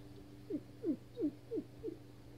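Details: Frustrated Weimaraner dog stuck under a bed indoors whimpers in five short, soft, downward-sliding whines spaced about a third of a second apart, over a steady low hum.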